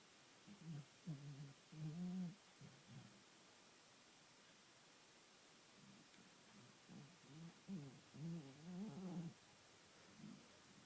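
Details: Sleeping Bull Terrier snoring while it seems to dream: low, wavering voiced snores clustered in two bouts, around one second and again from six to nine seconds, with quiet breathing between them in a still room.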